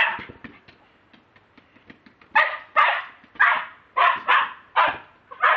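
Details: Pet Lakeland Terrier recorded by mobile phone: soft clicks and faint yips at first, then a run of loud, sharp barks spaced about half a second apart.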